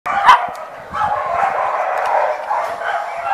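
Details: Small male dog giving a sharp opening yelp, then a drawn-out, wavering whine-like cry that rises and falls for about three seconds.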